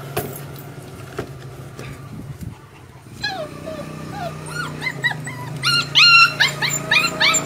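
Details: A pug puppy just over one month old, craving milk and trying to climb onto a vehicle to get back to its mother, whines in high, wavering cries.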